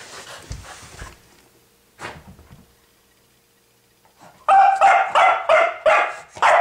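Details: Dog barking at a pig: faint scuffling and low noise first, a near-silent stretch, then a burst of loud, rapid barks in the final two seconds.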